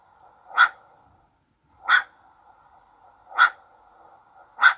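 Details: Young ringtail (cacomixtle) barking: four short, sharp, broadband barks spaced about one and a half seconds apart, over a steady low hum in the background.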